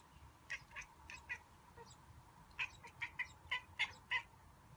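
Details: Indoor male cat watching birds through a window, making a monkey-like sound: two quick bouts of short, clipped, chirping chatters, about five pulses each, separated by a brief pause, over quiet room hiss.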